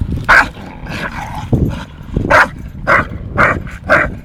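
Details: Play-fighting pair, Tyson the 8-month-old Staffordshire Bull Terrier and Viper the 2.5-year-old English Bulldog, giving about six loud, short barks spaced half a second apart, with low grumbling and scuffling between them.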